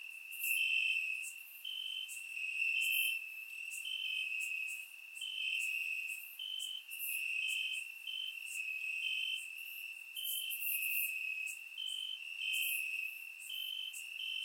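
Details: Crickets chirping in grass on a warm summer night in Bulgaria, recorded with a surround microphone: a steady high-pitched trill with brief stepped-up notes recurring about every second, plus fainter higher chirps above.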